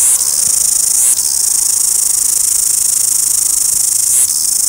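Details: Cicadas in Wellington, New Zealand make a constant high, rasping trill that stays unbroken except for two brief dips.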